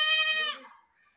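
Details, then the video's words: Goat gives a single loud, high, nasal scream lasting about half a second, holding steady and then fading into a quieter, lower tail. "goat screaming"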